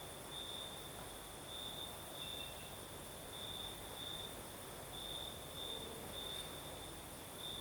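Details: Crickets singing at night in the south of Crimea with a night breeze: a steady high chirring trill in pulsed bursts of about half a second, repeating continuously over a low hiss of wind.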